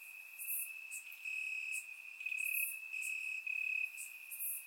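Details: Grass crickets at night during a warm Bulgarian summer: steady piercing trill that intensifies in pulsing bursts toward the end, with occasional higher fizzing chirps from nearby insects.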